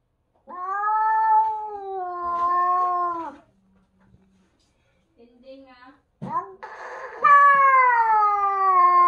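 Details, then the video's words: Indoor standoff between a British Shorthair newcomer and a Bengal being introduced: a sustained moaning yowl lasts nearly three seconds, then comes a pause with faint murmurs, then a sharper rising yowl that continues loudly to the end. "Trash talking cats British short hair vs Bengal"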